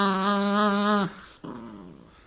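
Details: Dog wrestling playfully with its owner makes a steady, tonal moaning growl lasting about a second, then a softer, fading follow-up sound, with a man's voice nearby indoors.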